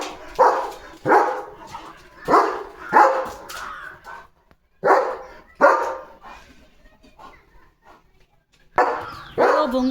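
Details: Evening barking by a male German Shepherd on guard after noticing another dog in his wheat field: a run of five quick harsh barks, a pause with soft speech, then two more barks.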